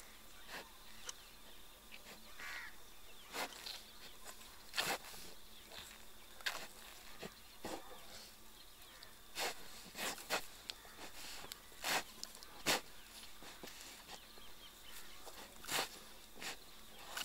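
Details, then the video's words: Sloth bear in mustard fields near a village at the boundary of Panna National Park, Madhya Pradesh, India, scooping termites from an ant-hill with its snout; sharp, breathy puffs and snorts burst out irregularly, roughly every second, over a faint rural background hiss. "Sloth Bear eating termites through its snout!"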